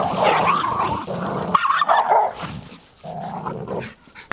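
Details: Dogs, a Jack Russell Terrier and an American Staffordshire pit bull, playing tug of war. Rough, noisy growling comes in bursts of about a second, with short gaps between them and a sharp click at the end.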